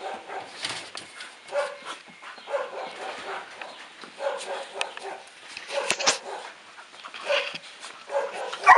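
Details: Pair of domestic dogs at play: scattered soft barks and whiny, growling vocal bursts recur irregularly over rustling and clattering sounds of their tussling, with a sharper noise at the very end.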